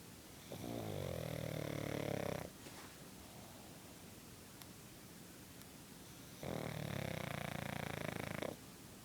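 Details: Sleeping female pug snoring indoors: two long, rasping, harmonic-rich snores about two seconds each, separated by a quiet pause of roughly four seconds, with faint room hiss between them.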